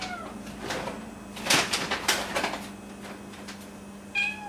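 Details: Cat meowing at 1:30 at night to ask for food, with a cat and a kitten named Momo and Nana in the home; short rising-falling harmonic meows open and close the moment, with clattering and knocking household noises between them.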